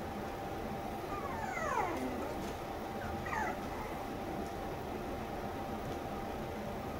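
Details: Red female Toy Poodle puppy nicknamed Tanto, 57 days old, born 19 September, curious and lively, kept in Machiya, Arakawa, Tokyo. She gives two thin, high whines that slide steeply downward near the start, over a constant broadband hiss.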